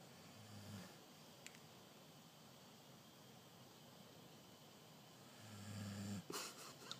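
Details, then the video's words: Moose, a pet dog, snoring while napping indoors; two low, rumbling snores about five seconds apart over a steady soft hiss, with a brief sharp clatter near the end. "Snoring Moose"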